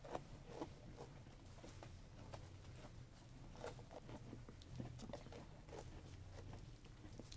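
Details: Sheep eating food: soft, irregular crunching and munching clicks scattered through the clip, some louder snaps, over a steady low rumble of background noise.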